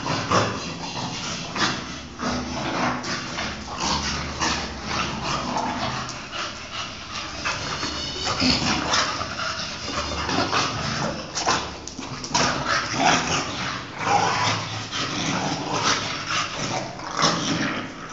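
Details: Play fight between an English Bulldog and a Chow Chow; rapid rough snorts, huffs and grunting growls come in dense bursts, mixed with scuffling, clattering movement and faint voices.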